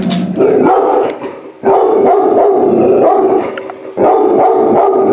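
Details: Active large-breed puppy rescued from shelter euthanasia, reacting on his first visit inside a home; continuous loud harmonic whining and howling, wavering in pitch, with two short dips in between.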